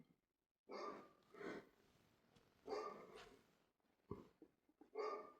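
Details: Dog giving about five hoarse, breathy barks roughly one second apart, the last ones closer together.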